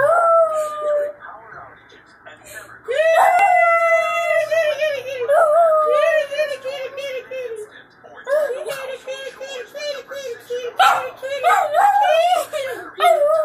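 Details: Spike, a pet dog, howls indoors while children call the family's cats; long wavering harmonic howls that start high, slide downward and hold, repeated with short breaks, with children's voices calling and chattering over them.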